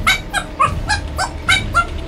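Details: Pet Golden Retriever play-fighting with a young man who practises martial arts at home: a rapid run of about seven short, high, whiny yips and whimpers in two seconds, each clipped and slightly falling, loud and close.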